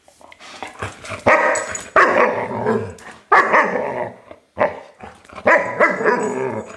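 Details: Colonel Klink, a five-month-old German Shepherd puppy, on Christmas morning with a new toy: a run of five harsh, growly barks, some drawn out and rasping, with brief quieter gaps between bursts.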